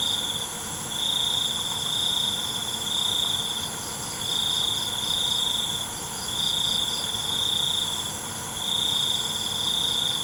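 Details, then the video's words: Night crickets. A shrill, steady trill swells and breaks off in regular bursts about every two seconds, riding on a ceaseless high-pitched drone of countless other insects. "ALUNAN CENGKERIK MALAM"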